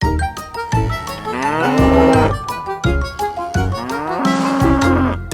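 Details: Real cow moos set to children's music: two drawn-out, tonal lowing calls about a second each, rising then levelling, over a steady backdrop of bouncy percussion and mallet tones.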